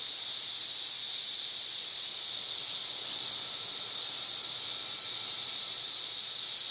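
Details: Cicadas singing from trees on May 31, 2024, above 91 dB, an unbroken shrill buzzing wall of sound holding one high pitch for the whole stretch, no pauses or rhythm changes.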